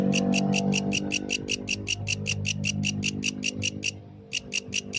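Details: At night, a yellow grasshopper gives crisp, high pulsed chirps in a quick regular series over a steady low hum, pausing briefly near the end before starting again.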